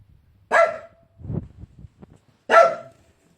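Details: Dog barking at its bone: two sharp, bright barks about two seconds apart, with soft low shuffling and chewing-like noises between them.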